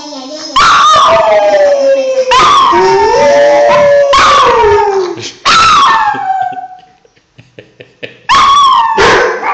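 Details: A pet Briard dog reacts to a single phone ringtone with a run of loud, drawn-out howls. Each starts high and slides downward, and they are repeated about every two seconds with a short pause near the end.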